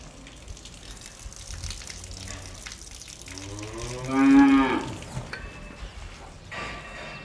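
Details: Cow in a barn giving one drawn-out harmonic moo that swells and falls, amid barn ambience with soft clatter and a running-water hiss.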